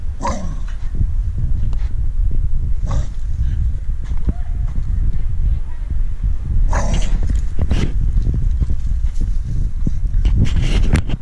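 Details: Female Staffordshire Bull Terrier defending her stick with a sustained low growl, rumbling and grainy, punctuated by several short noisy bursts near the start and middle.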